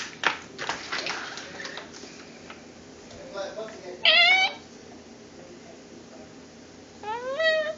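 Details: Cat giving a mating call: two brief wailing cries, each rising and bending, several seconds apart, with indistinct voices and knocking before them.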